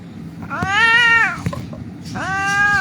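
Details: Injured cat found lying on a street, crying while being held for treatment: two drawn-out harmonic meows, the first arching and nearly a second long, the second rising and sustained, with people talking nearby.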